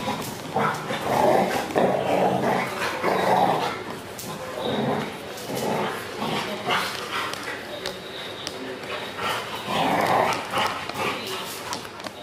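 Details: Barking from a golden retriever × Belgian Malinois cross: loud, rough bursts near one, three and ten seconds, with some growling and people talking throughout.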